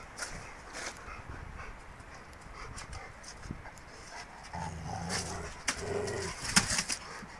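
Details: Rottweilers playing with a tyre give low, rumbling growls over a background of scuffling and knocking.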